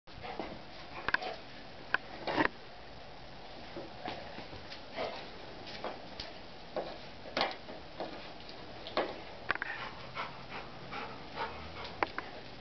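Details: Golden Retriever named Murphy checking out a skateboard indoors during a skate lesson; quick, breathy sniffs in bursts throughout, with soft knocks and small handling noises in a small room.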